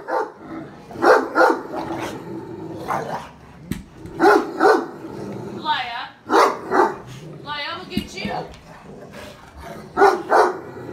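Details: Loud pet Great Dane barking at the family's daughter. Deep barks arrive in pairs and short runs, mixed with people talking and a child's high squeals in the middle.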